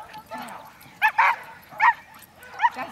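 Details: During a lure-chasing session with two Pit Bulls and a Chihuahua mix, a dog gives short, high excited yips, three or four spaced bursts within three seconds, mixed with people talking nearby.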